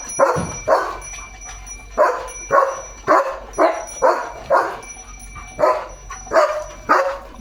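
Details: German Shepherd Leo, out on an evening countryside walk amid greenery and a light breeze, delivers a long run of harsh barks, about twelve in seven and a half seconds, some doubled, against faint steady high-pitched tones.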